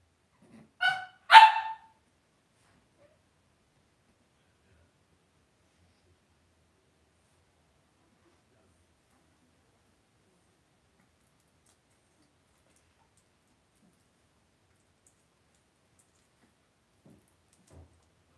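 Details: Cavalier King Charles Spaniel puppies raised indoors in a home puppy pen, heard as two quick sharp yelps or barks near the start, then near silence for the rest of the stretch.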